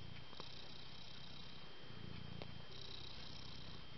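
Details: Cat purring, a low rumbling throb that swells and fades, with a steady high whine and faint clicks in the background.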